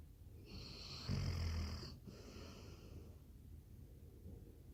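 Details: Labrador Retriever snore: a soft, wheezy inhaled rumble with a whistling hiss, fading out after about two seconds into a quiet room.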